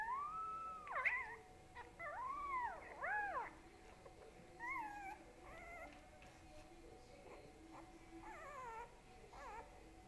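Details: Boo Boo, a dog described as getting big, gives a series of high, tonal whining notes that rise and fall, some bending sharply, spaced irregularly over about ten seconds; a steady faint electrical hum runs underneath.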